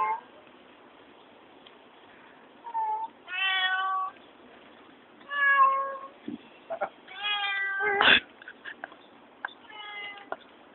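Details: Talking cat named Little Milk with a friend: a series of drawn-out, tonal meows with clear harmonics, some rising and falling in a speech-like way, separated by short pauses, plus a few clicks and soft knocks; recording sounds band-limited.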